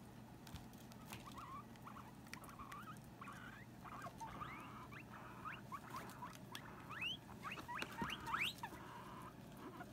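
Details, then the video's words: Two female guinea pigs, Sylvie and Jenny, squabbling because Sylvie wants to share the hammock with Jenny; short rising squeaks come in scattered bursts, growing denser and louder toward the end over a low steady hum. "Guinea Pig Girl Squabble"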